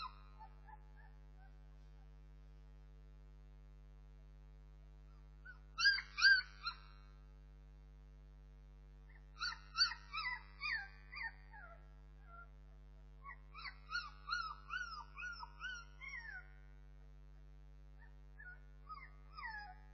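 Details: Puppies of the Bernese Mountain Dog breed whine in separate bouts, each a tight cluster of high, wavering squeaks and yelps, with quiet gaps of several seconds between bursts and a faint steady hum throughout.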